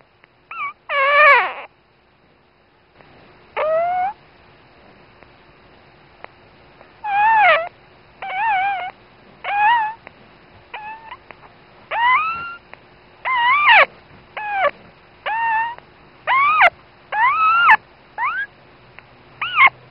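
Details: Newborn female dachshund puppy, the mother's very first pup, gives its first thin, high squeaks and whimpers in short bursts every second or two.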